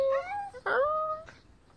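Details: Chihuahua from a family of three small pet dogs (female Tani, male Doni, female Kong) on a sunny day, giving a long high whine with a rising start, held steady for about a second, then a short rougher whimper; indoor room.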